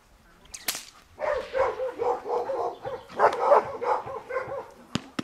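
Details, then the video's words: A Giant Schnauzer, Dea vom Wasserschloß, in protection training produces quick, rough, chattering barks at a fast pace. Sharp clicks or snaps are heard at the start and close. "Riesenschnauzer Dea vom Wasserschloß - Schutzdienst"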